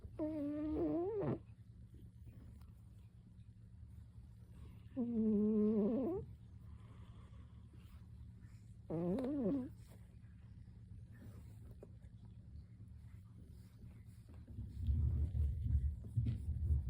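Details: Pet cat snoring loudly enough to worry its owner. Wavering, nasal, tonal breaths come about every four seconds over a steady low hum, with rustling noise near the end.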